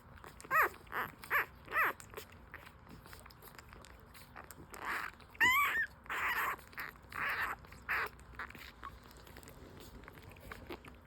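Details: Hungry newborn French Bulldog puppies, five days old and full-suit, whine and squeal while breastfeeding; short bursts with wavering and rising pitch come roughly once a second, strongest early and fading near the end.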